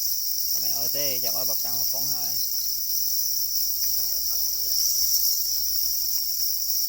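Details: Angry black crickets defending their eggs keep up a dense, shrill, unvarying trill, while a voice talks loudly for the first two seconds and more softly later.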